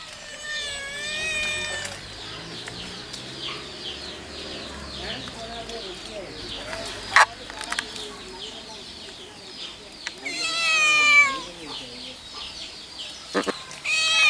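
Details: Repeated meows from a white cat, harmonic cries at the start, around ten seconds and at the very end, with murmuring voices and a low hum between, plus a couple of sharp knocks.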